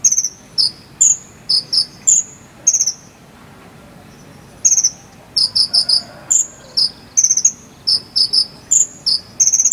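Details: Jangkrik sambung cricket from Cililin, used as a model for teaching konin birds to sing. Bright, high-pitched chirps arrive in rapid clusters, stop for about two seconds of near silence, then resume in tight groups.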